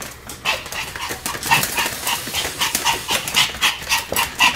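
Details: Pomeranian named Sam barking continuously while spinning at high speed: rapid, sharp, high yips repeated about four times a second, uneven in loudness, with no other clear sounds.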